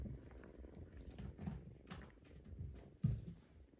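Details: Bengal kittens, seven weeks old, indoors: a soft low rumbling purr runs throughout, with a few brief soft knocks and rustles, one sharper thump near the end.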